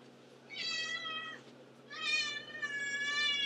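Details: Pet cat named Antigone, a constant meower, gives two drawn-out harmonic meows, the second longer and rising into a sustained wail, in a quiet indoor room with a low steady hum.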